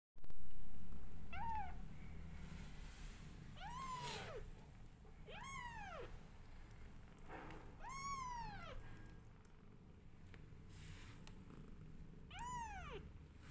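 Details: Hungry kittens being fed by their mother cat cry with thin, high arched meows, about five spaced two seconds apart, each sweeping up then down, over a steady low rumble.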